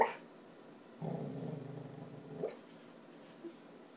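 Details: Three-year-old female Border Collie talking in her sleep: a brief soft woof, then a low rumbling growl lasting about one and a half seconds, ending in a small yelp, over a quiet indoor hum.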